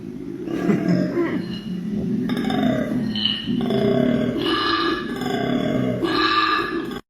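A koala gives a deep, rasping bellow of snoring and belching grunts, made when it is happy.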